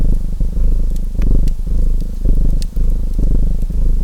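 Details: Low, buzzing purr of a domestic cat, swelling in short rhythmic waves under intermittent crackles and pops from a burning fireplace.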